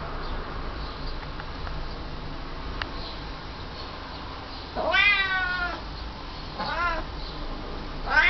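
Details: Cat meowing against a constant hum: a long, rising-then-falling meow after about five seconds of near quiet, followed by a shorter one and the start of a third.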